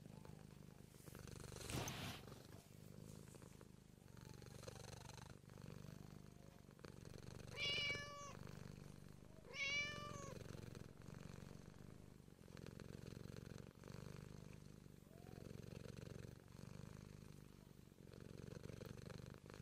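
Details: Continuous soft purring from a Siamese cat, interrupted by two short, bright meows about two seconds apart near the middle, plus a few rustling movements.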